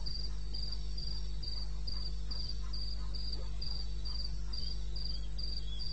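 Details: Night chirping of a cricket in the wild bush of eastern Botswana, 2:30 am on 21 May 2016: bright, brief pulses repeated evenly a few times per second, low steady drone beneath.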